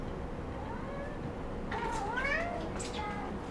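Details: Domestic cat at a cat café in Sendai, Japan, meowing in a way said to sound like "gohan" (food): a faint wavering harmonic meow in the second half, rising then dipping, over steady room hum.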